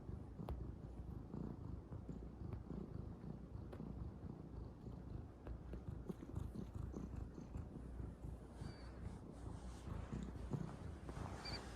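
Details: Young calico cat purring while kneading without stopping, a steady throaty rumble broken by scattered sharp ticks and scratches, with brief soft higher rustling toward the end.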